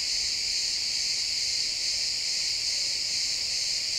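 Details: Pine forest crickets at sunset, XY stereo recording: a steady, continuous high trilling wash of chirps that holds level throughout, with no birds, wind or voices standing out.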